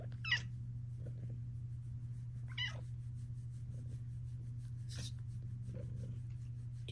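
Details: A female house cat named Luxe purrs in a low, constant drone as she chats with her owner and settles to lie down; three brief, rising chirp-trills break through, spaced roughly two seconds apart.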